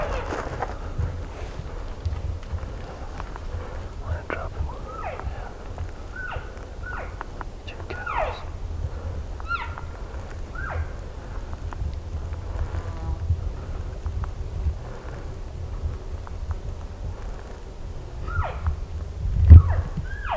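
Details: A group of elk called in close by hunters during an over-the-counter elk hunt in Colorado. Short, high chirping mews, some rising then falling, recur throughout, mixed with soft whispering voices and a steady low wind rumble.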